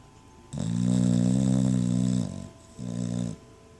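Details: Dog asleep indoors, snoring loudly: one long, low, rasping drawn-out snore lasting nearly two seconds, then a brief pause and a shorter, softer second snore.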